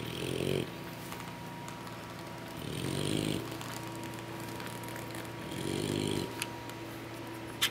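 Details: After a big meal from their mother, English Bulldog puppies snore in their sleep, three gravelly low breaths spaced about three seconds apart against a soft steady hum.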